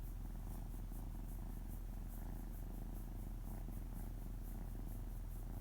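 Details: Male house cat purring on a lap while his stomach is gently stroked, paws patting: steady, deep, rumbling purr with fast even pulses, about four per second, continuous throughout in a quiet room.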